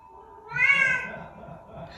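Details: A talkative pet Bengal cat gives one bright, rising-then-falling meow over a low background hum.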